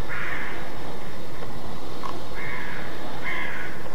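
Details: Roe deer alarm barking, known in German as Schrecken, recorded in Mecklenburg-Vorpommern, Germany: three muffled, raspy barks spaced roughly one to one and a half seconds apart, fairly distant, over low rumbling noise.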